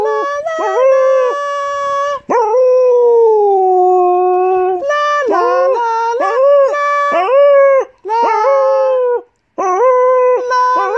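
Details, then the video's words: Singing female English Cocker Spaniel, golden, aged eight, joining a morning sing-along of "On Top of Spaghetti". A long steady drawn-out howl in the middle, flanked by quicker wavering notes that rise and dip, with two short breaks. "Singing Cocker Spaniel - Song On Top Of Spagetti - Morning Sing-Along"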